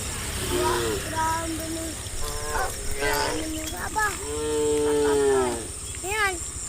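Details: Tame cattle heading out to green pastures in a herd, calling with many layered moos, short ones early and a drawn-out steady low near the end, with constant background hum and high-pitched hiss.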